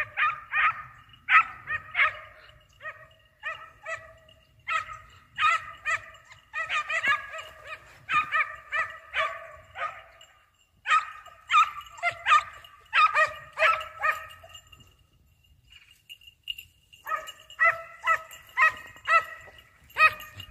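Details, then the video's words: Hunting hounds giving tongue while chasing a hare, repeated high-pitched baying barks in dense overlapping bursts, several dogs calling, one brief pause around fifteen seconds before the chorus resumes. "Caccia alla lepre SCOVO LEPRE IN VISTA 2 VOLTE"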